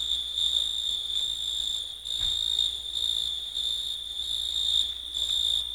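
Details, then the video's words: Grasshoppers, crickets and lacewings singing: an unbroken, shrill, high buzzing trill at a single steady pitch with a faint higher band above, briefly dipping around the middle before resuming, no other sounds. "Пение Кузнечиков"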